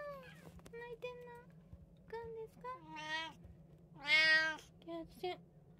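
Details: Indoors, one of three household cats, tabby, Munchkin and Abyssinian, meows repeatedly in short and longer calls, one loud rising-falling wail near the end, over a constant low electrical hum.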